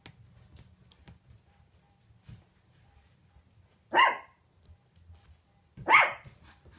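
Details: Shih Tzu puppies, eight weeks old and four left from a litter of seven, playing indoors: two sharp, high yapping barks about two seconds apart, with quiet scuffling between them.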